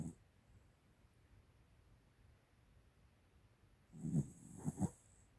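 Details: Old female American Cocker Spaniel, 13 years of age, asleep and snoring: after a quiet stretch, a burst of choppy, pulsing, snorting breaths in three quick throbs near the end.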